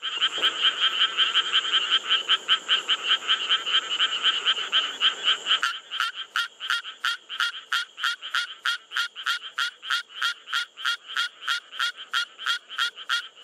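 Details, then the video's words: Endangered Suwon treefrog song in Korea: a steady series of high, metallic pulses, about three per second, slower and higher-pitched than the croaking of Japanese treefrogs. "Now, let’s listen to the song of Suwon treefrogs. It’s a bit slower and more high-pitched."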